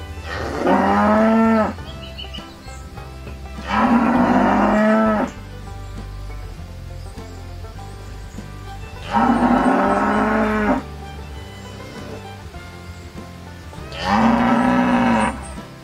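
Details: A cow moos four times, each long, rich call held for over a second.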